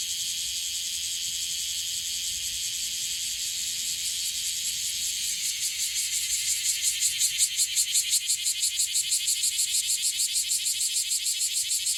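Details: Bear cicada (Cryptotympana facialis) singing in Okinawa, a frequently calling individual; a high continuous buzz that after about six seconds turns into loud rhythmic pulses, roughly three per second, swelling in strength.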